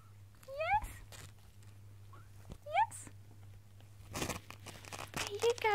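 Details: Zeus, a four-week-old Singapura kitten, trying to escape his play den and calling to his human: several short, thin, rising mews at intervals, with rustling and bumping sounds and a steady low hum indoors.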